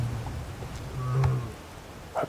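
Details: A lioness just over three years old, at sunset at Djuma/Arathusa, Africa, gives two low, hollow moaning contact calls toward the camera, reaching for her pride's other lionesses. She is around a mating male, and the guide suspects false oestrus.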